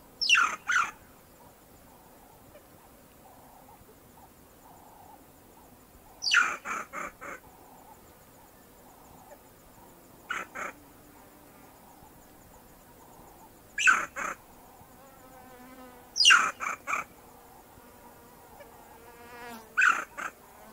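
A banded mongoose gives short, harsh, raspy bursts of calls, spaced several seconds apart.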